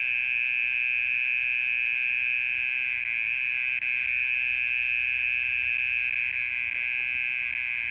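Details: Persistent nocturnal trill of a mole cricket, a loud, constant, fast-pulsed buzz on a single pitch, with one brief click near the middle.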